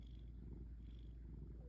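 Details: A sleeping cat snoring, a steady, soft, low rumble running unbroken through the short stretch with no other sounds.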